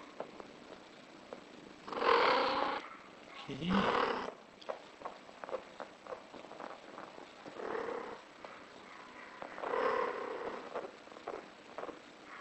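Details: British Shorthair cat in heat giving drawn-out, harmonic yowling calls, four loud wails spaced a few seconds apart, each rising and falling, with soft clicks and low room noise between them.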